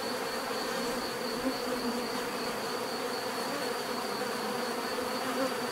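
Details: A soft, even bee buzz, a low hum under a wash of hiss, joined by a steady high, thin insect whine that holds the whole way through.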